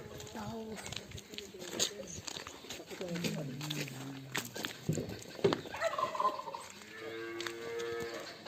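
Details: One of two Simmental cows in heat on a Turkish livestock farm, undergoing synchronization and artificial insemination with a vet; short low moos in the middle give way to a steadier, higher drawn-out bellow near the end, amid farmyard clatter.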